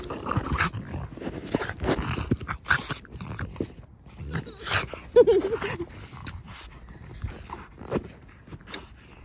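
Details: Excited female French Bulldog outdoors on a walk, refusing to give up a ball she found: low growls and snorting grunts in short bursts, while a woman repeatedly coaxes her to come along.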